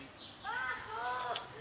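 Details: Cats from a group of three kittens and their black mother, playing and then eating: one short, tonal, rising-then-falling mew that lasts about a second, with faint background noise.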